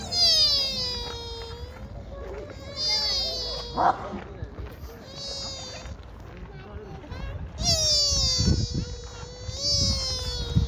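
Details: Deer at Kōfuku-ji temple in Nara, Japan, giving soft, cute 'funi~' and 'ni~~' calls: five long, nasal, whining tones, each slightly falling, spread over ten seconds, with a sharp click near the middle and low background rumble.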